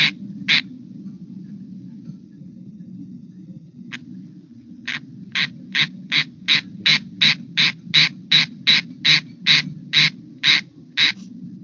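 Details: Squirrel tree frog rain call, given away from wetlands when it is raining or overcast: a series of raspy, squirrel-like chirps repeated about three times a second.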